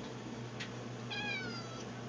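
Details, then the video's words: Cat waiting to be fed beside the food bowls in a pantry gives one clear drawn-out meow that slides downward, after a faint click, with a constant low hum in the room. "Edward says, "Feed me!""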